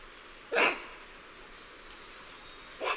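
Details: Lion-tailed and bonnet macaques giving alarm calls: one loud, sharp, harsh bark, then the start of a second at the very end, over steady background hiss.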